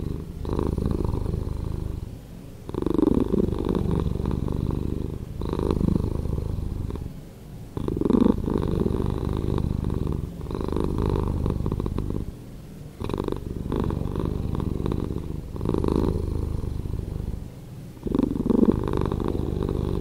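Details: Steady, rhythmic purr of a domestic cat, edited to play slower: deep rumbling bursts of roughly two seconds alternate with brief quiet gaps, a soft continuous pulse throughout.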